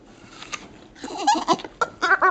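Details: Sadie, a female Staffordshire Bull Terrier wearing a cone for a corneal ulcer, makes funny noises while getting a rub down and wanting an apple: nasal, bleat-like whines in short bursts, growing louder and more frequent toward the end.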